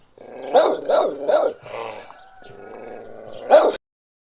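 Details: Dog barking in a countryside village backyard during the afternoon, with birds and roosters in the background. It gives three quick barks at an even rhythm, then a sustained low growl, then one final loud bark.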